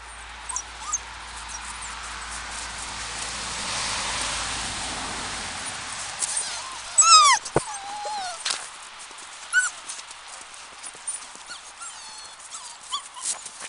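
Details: Seven-week-old Samoyed puppies, a litter of two males and three females, give a few short, high, bending whimpers in the middle of the clip among soft clicks and scuffling, after a stretch of steady background hiss.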